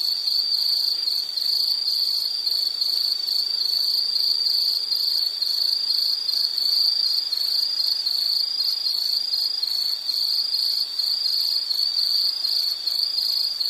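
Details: Insect calling in a soothing nature recording for sleep or study: an unbroken, piercing high trill with fast fine pulsing, steady in loudness throughout, over faint background hiss.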